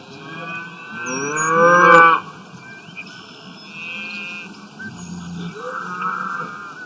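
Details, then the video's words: Cows eating grass in the wild: a single rising, swelling moo that ends abruptly after about two seconds, then quieter, low grunting lowing from the herd. "Sound of Cows Grazing in the Wild, Sound Effect, Cows Eating Grass"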